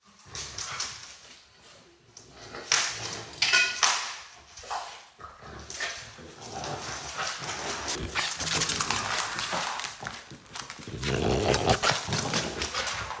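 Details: French Bulldog indoors, giving short high whines and snuffling snorts in irregular bursts, with rustling and handling noise throughout and a louder stretch of breathy snuffles toward the end.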